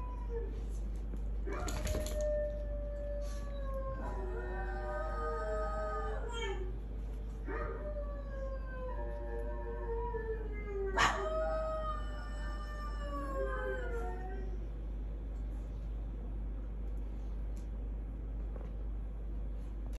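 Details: Pet dogs howling together in overlapping, wavering, drawn-out tones that rise and fall. There are several bouts over about fourteen seconds, punctuated by sharp yelps, then it fades to near quiet.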